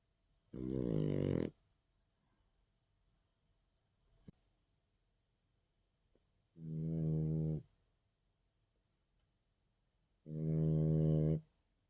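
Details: Indoors, Jjanga, a nine-month-old female French Bulldog, snores on 30 August 2019: three deep, buzzy, harmonic snores, each lasting about a second and recurring roughly every four to five seconds, with near silence between them.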